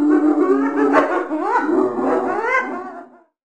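A hyena gives a string of nasal, wavering calls that rise and fall in pitch for about three seconds, then stop.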